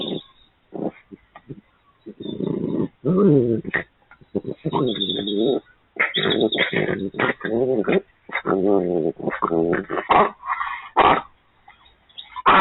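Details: Wild urban red fox vixen and her youngest cub talking to each other: a run of harmonic whining and moaning calls in close bursts, some wavering in pitch, over about twelve seconds with short pauses between.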